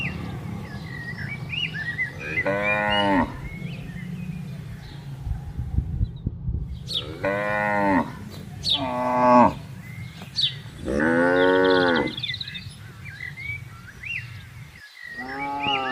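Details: Grazing tame cattle moving freely through a spacious plantation call repeatedly: five separate moos of varying length spread across the stretch, the longest near the middle, over steady low rumble and scattered bird chirps.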